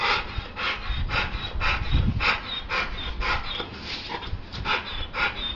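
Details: Dog in attack and bite training, panting hard in quick rhythmic breaths about twice a second, each a broad rasping burst; low rumbling handling noise underneath.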